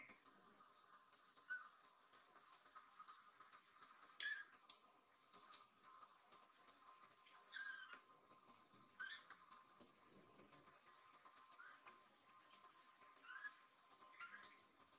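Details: Nan, a rescued baby kitten lost inside a room, mewing as if asking where its friend Cookie is; soft, short high mews come every few seconds over sharp clicks and quiet room hiss.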